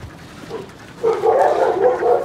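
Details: At a husky kennel during recall training, a quiet start gives way after one second to a sudden burst of loud, wavering yelps and whines from several dogs.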